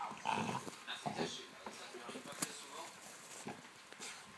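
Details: French Bulldog playing with a newly gifted tennis ball, given to celebrate the Roland-Garros men's final; wheezy snorts and short growly grunts come in irregular bursts, with a person's voice faintly in the background.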